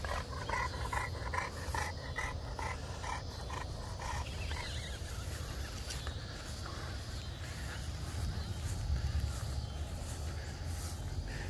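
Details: Small French Bulldog named Winston at play with a French Mastiff: a quick run of high whiny yips, repeated rapidly for the first few seconds, then fading into low rumbling outdoor noise.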